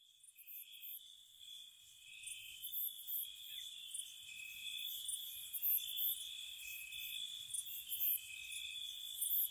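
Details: Crickets chirping on a spring night near a cottage: a steady high trill runs under lower trilled bursts of about a second, with sharp very high pulses scattered above, many insects overlapping.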